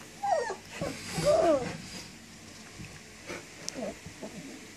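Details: German Shepherd puppies, 19 days old, whining for their mother; a few scattered, thin, arched whimpers, mostly near the start, with quieter pauses between them.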